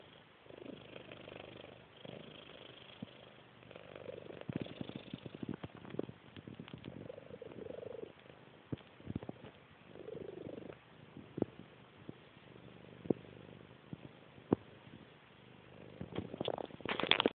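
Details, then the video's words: A sleeping cat snores in slow rasping pulses every couple of seconds, broken by scattered clicks, with a louder rustle at the end. "Snoring cat"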